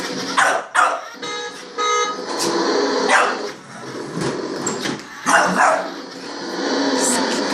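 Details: Titan, a pet dog, barks at a remote-controlled toy Hummer, the only thing he ever barks at, and each bark makes him sneeze; short sharp bursts scattered through the clip amid laughter, music and people talking.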